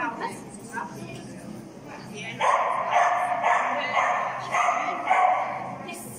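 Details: During a PAWS class C jumping agility run on 3 October 2020, Finnish Lapphund Mindy gives a quiet start, then a loud burst of repeated yapping barks about twice a second, with speech around.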